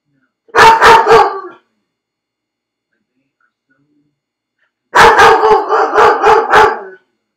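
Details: Left alone in a dog crate, Felix barks in two bursts: three rapid barks, a silent gap of about three seconds, then a longer run of about six hoarse barks in quick rhythm.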